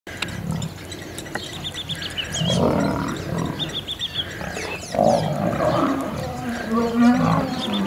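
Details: Old male lion fighting young male lions that refuse to give up their territory, Kruger National Park. Rough, low snarling growls come in uneven bursts, louder toward the end, with chirping birds in the background.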